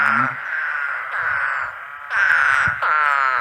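A spadefoot toad gives nasal, buzzy groans, each lasting about a second and following closely on the last.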